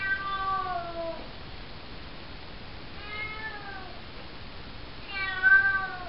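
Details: Cocoa, a four-month-old calico kitten, calls at night while hanging out in a bathroom; three long, tonal meows likened to "hello", each gliding downward, the last one loudest, with faint room hiss between.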